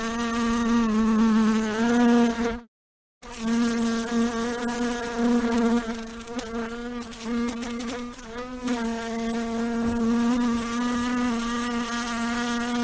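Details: Droning buzz of a housefly in flight, cut by a short silent gap near the third second, then resuming with wavering pitch and small loudness surges before settling into a steady hum.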